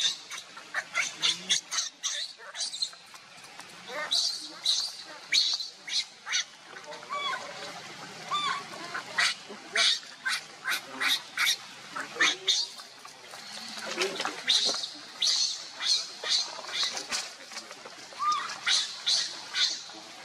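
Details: Baby monkey Leo crying and begging its mother for milk, hungry: rapid runs of sharp, harsh bursts repeated irregularly, with a few short rising squealed notes between them, loud and close throughout.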